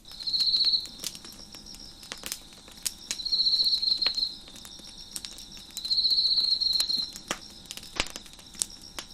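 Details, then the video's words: Crickets chirping beside a crackling fire on a deck: high pulsed trills just under a second long, repeating about every two and a half seconds, with sharp wood pops and crackles throughout. "Crackling Fire on the Deck with Crickets Chirping in the Background"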